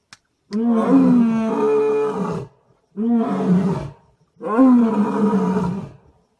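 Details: On safari in Gir National Park at Sasan Gir, an Asiatic lion gives three long, rough, moaning roars, each lasting one to two seconds with a slight downward slide.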